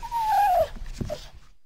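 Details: Mountain lion (cougar) producing a single thin whistled whine that slides slowly downward and ends abruptly, followed by a faint short chirp and soft low rustling.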